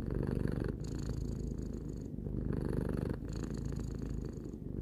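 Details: Tarou, a three-year-old domestic cat, purring steadily: a continuous low rumbling drone that swells and eases in breaths roughly every one to two seconds, with faint higher hiss on each phase.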